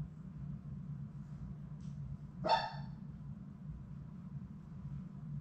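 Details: Playing Labrador Retriever puppies, six littermates in their puppy play room: a single sharp, bright yelp-like bark, sudden and quickly falling away, with faint scuffling and a steady low hum before and after.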